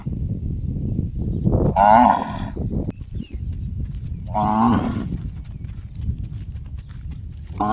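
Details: Gong-like calls from a cow: two strong, wavering, harmonic cries roughly two and a half seconds apart over continuous low rumbling noise, with the start of a third cry at the very end.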